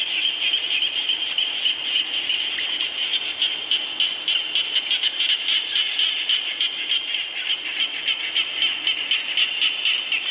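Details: Frogs calling amid rain, a dense chorus of rapid pulsed croaks packed into a bright high band, repeating several times a second with uneven rhythm over a steady hiss.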